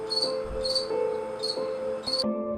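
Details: In summer, a grasshopper gives short, high, raspy chirps, repeated about every two-thirds of a second. Finding: grasshopper.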